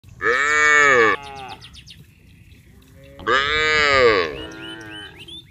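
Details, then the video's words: Cattle going down together to the rice fields in a village, calling to one another: two loud, drawn-out harmonic moos of about a second each, three seconds apart, with faint chirps after each. "Bunyi sapi memanggil teman teman"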